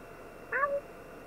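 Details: Pet cat indoors, one of four kittens in a home, apparently wanting some food; one short meow lasting about a third of a second, rising then falling slightly and holding a steady tone at the end.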